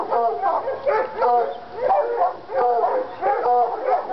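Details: In North Carolina, coonhounds Lady and Cooper, Treeing Walkers, get excited over a coon skin, giving rhythmic bursts of ringing, harmonic barks roughly every half second to second, with short gaps between bursts.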